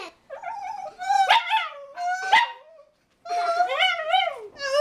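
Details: A Rat Terrier howls along with a person, giving wavering, quavering howls that rise and fall, in two long phrases separated by a short silence, with a few sharp yelps breaking in.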